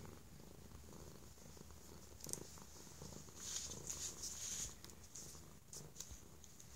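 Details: Stray cat indoors, given affection and safety after likely mistreatment, purring very loudly; a steady low rumbling purr under brief hissy rustles and clicks around the middle seconds.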